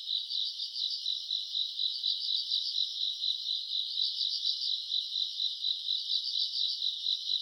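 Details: Summer-night grass insects, recorded in August, trill together in a bright high band, the pulsing rising and falling in soft waves roughly twice a second over an otherwise quiet background.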